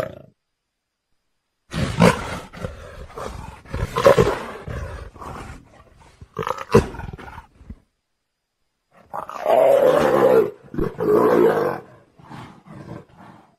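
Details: Leopard roaring: bursts of rough, throaty roars and growls, separated by silent gaps, with a longer, louder rasping stretch near the end.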